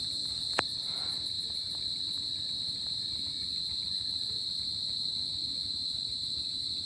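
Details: High, constant cricket trilling on a summer night, steady throughout, with faint rapid pulsing far above. One sharp click sounds near the start, over a quiet low background hiss.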